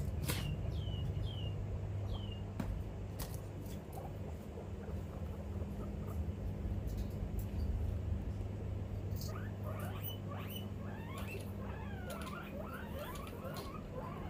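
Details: Pet guinea pig Pippi chirping while scared of something: a few short falling chirps early on, then a quick run of high rising-and-falling chirps in the last seconds, over a steady low hum.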